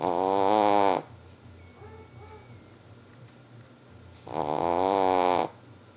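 A Boston Terrier snores in two loud, rasping, buzzy breaths a few seconds apart.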